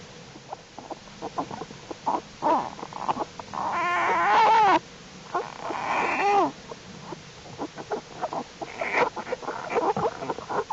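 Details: American black bear cubs of Jewel the black bear, in their winter den during unusually warm weather on January 31, 2012, growing stronger and crawling around; loud wavering, harmonic squalling cries in two long bursts among shorter grunting and rustling sounds.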